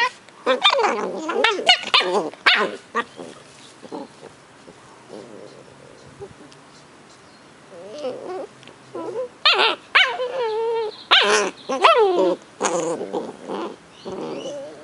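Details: Cardigan Welsh Corgi puppies Fos and Ebo, a brother and sister aged 10 weeks, in Adelaide, South Australia. High, wavering whines and squeaky yelps come in rapid bursts, then a quieter pause midway, then more rising, warbling yelps.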